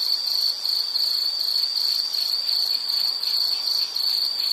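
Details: A high, thin insect trill, its pulses blurring into an almost unbroken ringing tone with slight dips in loudness; only a soft hiss underneath.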